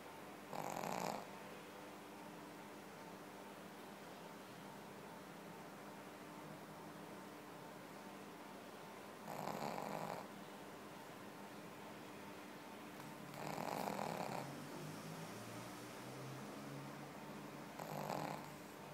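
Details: Pekingese dog snoring while asleep: four loud, rough, broadband snorts at uneven gaps of four to eight seconds, the third longer and fuller, over a steady low background hum.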